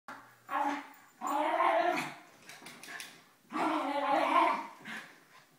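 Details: Three pet dogs at play during a morning routine, an 11-year-old Mini Schnauzer, a 9-year-old female Basset and a 2-year-old Yorkie: two long bursts of rough, growly barking, each about a second, separated by a brief lull.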